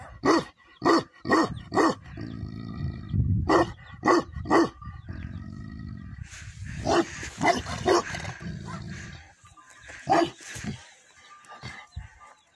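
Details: Tibetan Mastiff, called Bhote Kukur in Nepal, kept at a yak farm, giving deep repeated barks in bursts of three or four, roughly two per second, with a steady tone and background noise between barks.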